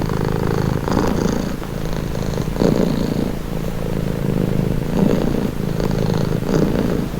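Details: A cat purrs steadily in a calming recording, a deep vibrating rumble that swells with each breath every second or two, occasional brief louder surges.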